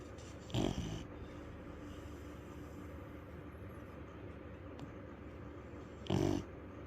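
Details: Sleeping dog snoring loudly: two short, harsh, rasping snores about five seconds apart, separated by quiet breathing over a steady low background hum.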